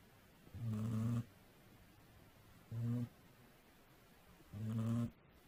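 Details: Domestic cat asleep and snoring, recorded on a weak microphone; three deep, rasping snore pulses, each under a second, coming about every two seconds against faint constant hiss.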